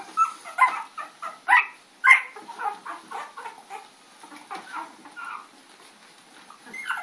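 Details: Puppies at play, chasing Lady on April 4, 2013: a quick run of sharp yapping barks and squeaky yips, loudest in the first two seconds, then trailing into softer, scattered yelps.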